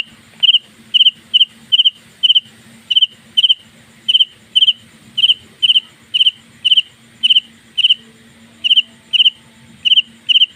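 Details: At home at night, a house cricket chirps loudly: short, shrill pulsed chirps come roughly twice a second in a steady run, over a faint low hum in the room.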